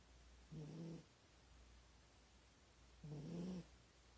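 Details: A sleeping Corgi in a bad posture snores loudly, giving two deep, gritty inhalations about two and a half seconds apart over a faint constant background hum.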